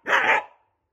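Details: Angry Shiba Inu indoors, barking because its favourite plastic bottle cap has fallen under the sofa: one loud, sharp, harsh bark lasting about half a second, then silence.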